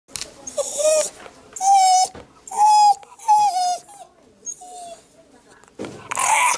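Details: Shiba Inu named Yamato, drooling and throat gurgling from wanting food so badly, gives high drawn-out whines that rise and fall, in separate bursts about a second long, indoors, with brief noisy sounds between them.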